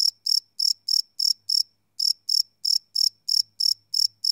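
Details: Crickets at night, field-recorded live on a Sony PCM D100: crisp, high-pitched chirps pulsing about three times a second, a brief gap mid-way, and a faint low hum in the background.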